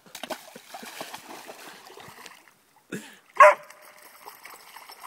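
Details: Dog swimming and playing in a murky frog pond; a few seconds of splashing and paddling, a quiet gap, then one short, loud, sharp bark, followed by more soft water sounds.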